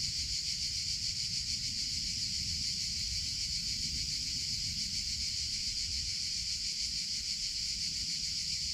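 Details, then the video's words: Steady, piercing buzz of cicadas in summer, the chicharra or campanero. Fast, slightly throbbing pulses run without a gap from start to finish, over a faint low rumble. "CICADA SOUNDS - Sound Effect of Cicadas in Summer Sounds of Cicada (Chicharra, Campanero)"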